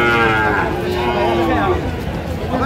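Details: At a cattle market in Comilla on a Saturday in April 2025, a Sahiwal bull calf lows with a drawn-out moo that slowly slides downward, while buyers haggle over prices in the background.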